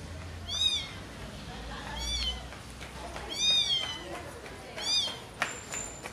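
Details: Kitten or mother cat as a mother cat carries her baby kittens; four high, arched meows spaced about a second apart, with a short click and faint background noise.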